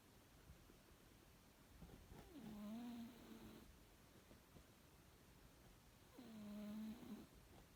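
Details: Cat asleep and snoring softly: two faint, buzzy, tonal drones about a second long, roughly four seconds apart, over low room hiss.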